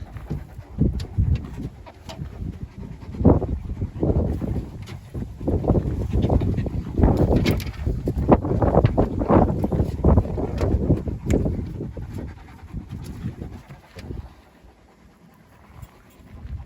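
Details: Kangal shepherd dogs, among them Uluğ Bey and Asya, on an off-road safari walk into the forest in Turkey; heavy rhythmic panting breaths, about eighty per minute, low and breathy, fading near the end, with faint rustling outdoors.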